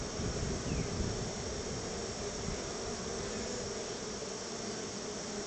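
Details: Honey bees around their hive during feeding with store-bought honey, humming in a dense, constant buzz over a rumbling low background, slightly louder at the start.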